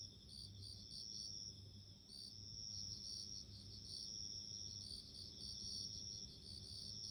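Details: A bell cricket (Meloimorpha japonica) rings steadily with clear, high, bell-like trills over a soft low hum.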